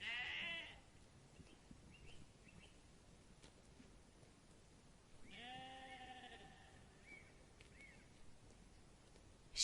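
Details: Sheep bleating: a short bleat at the start, then one long, wavering, nasal bleat midway, set against a faint hiss of background noise.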